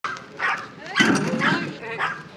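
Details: Shiba Inu named Kaki-Maru, a dog aged 5 years 8 months, recorded 19 April 2025 in Rotterdam, Netherlands, while visiting garden houses. Short harmonic barks come in bursts roughly every half second, with some voices mixed in.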